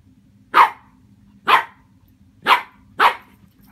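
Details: A 15.5-week-old Shih Tzu puppy meeting a watermelon gives four short, sharp barks, spaced about a second apart.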